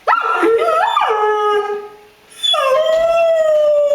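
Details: Pet dog howling up close: a few broken, yodelling yelps that climb and fall, then a long sustained howl gliding slowly downward, a brief pause, and another long, steady howl held to the end.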